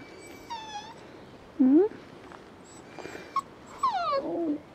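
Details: Non-pedigree Border Collie puppies being gently stroked on a farm; thin, high whines, some sliding down and one rising, come in short bursts with pauses, over quiet background noise and faint music.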